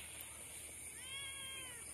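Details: Domestic cat giving a single drawn-out meow with clear harmonics, starting high then gently falling over about a second, heard over steady high-pitched background hiss; a person calls out softly in Malay just before and after.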